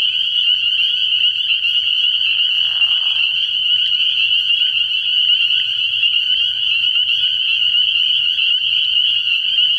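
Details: Spring peepers calling at night from a frog pond early in the year, a dense unbroken chorus of high, shrill peeps merging into a steady ringing wall, with a brief lower rasping burst near the third second.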